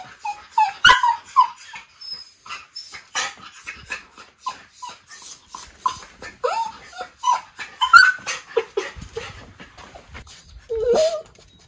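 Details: Two Miniature Schnauzer brothers, white puppies, exploring a new doorway to the front yard, Aroostook County, Maine, May 2022; repeated short high whimpers and yips throughout, with some clattering.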